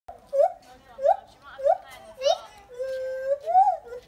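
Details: Lar gibbons singing on the Isle of Wight: a run of clear, rising whooped hoots, about five in four seconds, each swooping upward, followed by a longer steady note and a final rising whoop, with faint background chatter.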